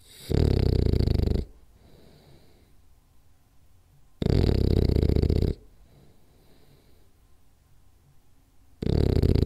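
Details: French Bulldog named Rolly asleep and snoring hard: heavy rattling snores lasting over a second, recurring about every four seconds, with faint wheezy breathing between them in a small quiet room.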